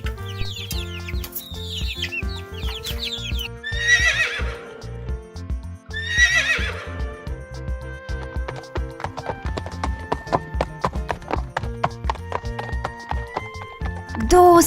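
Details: Horse neighing as the answer in an animal-sound guessing quiz. Two loud, shaky whinnies descend in pitch about two seconds apart over steady background music and clip-clop hoofbeats.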